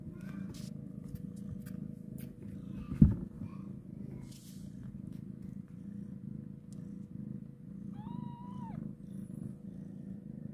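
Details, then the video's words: Mother cat purring as she carries her newborn kitten for the first time after giving birth; a steady low rumbling purr runs throughout, with a sharp click near three seconds and a brief rising-then-falling mew near the end. "Mom cat carrying her kitten after birth for first time"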